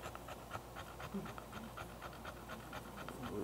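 An English Bulldog pants heavily in quick, rhythmic, raspy breaths, roughly four per second, from excitement.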